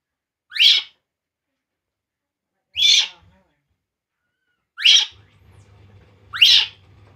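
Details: Poo, a baby monkey, cries as it drinks milk, giving four sharp, high, upward-sweeping shrieks roughly two seconds apart, with a faint low hum near the end.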